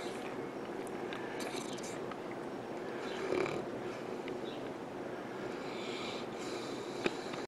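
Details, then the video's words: A St. Bernard named Misha snoring while sleeping on a couch at home, a soft, continuous raspy breathing texture with faint snorts and one brief sharp click near the end. "Very funny St. Bernard snoring while sleeping"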